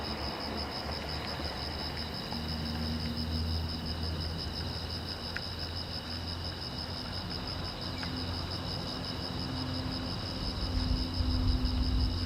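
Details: Crickets chirping at night beside a silent road, a steady high pulsing trill that runs without pause, layered over a constant low rumbling hum that swells louder toward the end.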